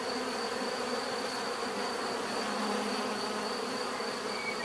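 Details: A swarm of bees drones without a break, a smooth layered hum holding steady across the whole stretch, with a constant thin high tone above.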